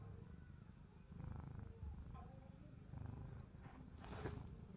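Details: Domestic cat Pani or Chester purring while seeking affection, a low rumbling purr swelling in soft pulses across the clip, with faint rustling and a brief sharper noise near the end.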